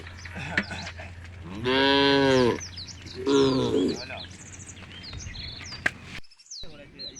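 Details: Two deep, wavering moos from tame cows walking in a herd toward a field at the edge of a forest, the first long and the second shorter, with bright bird chirps and twitters around them.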